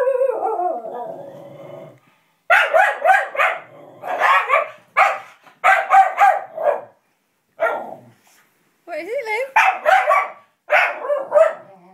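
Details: Dog barking at a puppet it dislikes, a burst of sharp repeated barks in quick clusters with brief pauses, mixed with a person's voice at the start and between barks.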